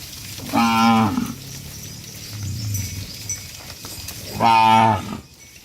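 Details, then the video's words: Tame cattle being herded back to a farm pen give two loud, harmonic moos, one near the start and one near the end, with a quieter low bellow between them. "Herding Dozens of Tame Cattle Back to the Farm Pen: Funny Cow Sounds"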